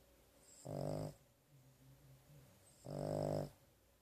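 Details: Domestic dog snoring while asleep indoors after a rough day and a trip to the vet: two low, rasping breaths about two seconds apart, each roughly half a second long, with a quiet hum between them.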